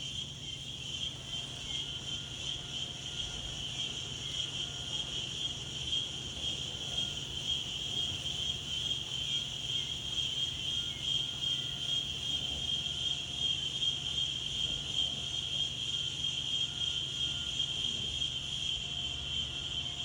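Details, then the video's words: Continuous high-pitched insect trilling on a calm day outdoors, a bright unbroken drone with a fast, shimmering pulse. It stays steady for the whole stretch over a soft low hum of gentle wind. "Wind and Insects"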